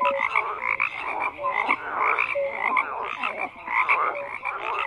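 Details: Chorus of frogs calling over one another: grating croaks and short whistle-like notes repeated rapidly, a loud unbroken wall of calls with slight rises and dips in volume.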